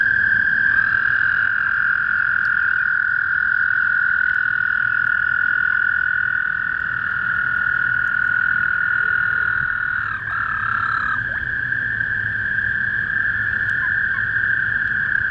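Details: Small backyard pond in spring with toads trilling in chorus: a sustained high, ringing drone of merged trills, briefly dipping and wavering around ten seconds in before steadying again, over low ambient rumble.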